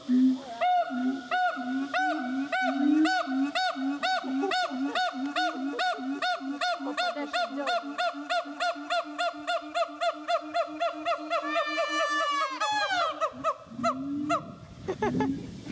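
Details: Siamangs (Symphalangus syndactylus) at Dubbo Zoo, NSW, Australia, sing: loud, honking barks that speed up into a rapid run and end in rising whoops.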